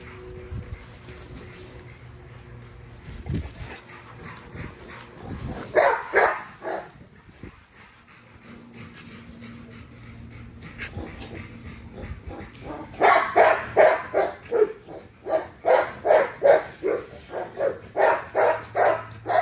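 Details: Nyla, a female XL ghost tri American Bully, barks during an exercise session: a lone outburst near six seconds, then a steady run of sharp, evenly spaced barks through the final stretch after a quieter opening.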